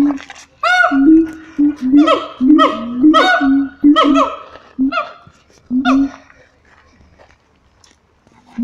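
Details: Siamangs at Taronga Western Plains Zoo give loud, ringing, harmonic barks and whoops, repeated roughly once a second in an excited burst.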